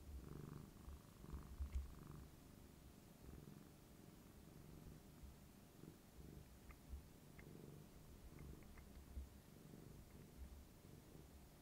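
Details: Rico the tabby cat purrs deeply while rubbing his owner's knee out of love, a throaty pulsating rumble swelling and easing in waves, with faint soft clicks in the background.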